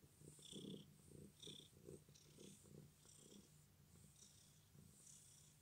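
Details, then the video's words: Domestic cat purring despite an injured leg; continuous low rumble rising and falling with each breath, about once per second, with light airy snuffling overtones. "My cat's leg is injured but he still purrs"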